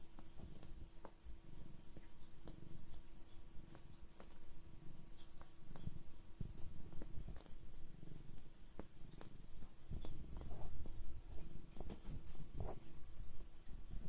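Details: A pet cat purrs while kneading after sitting on a lap, another cat watching; continuous low rumbling purr throughout, with scattered soft clicks and rustles indoors.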